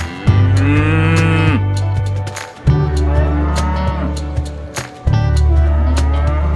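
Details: Cattle in a market calling to their companions: three long, deep, steady moos of one to two seconds each, rich in layered overtones and separated by short gaps, with sharp clicks and knocks sounding throughout.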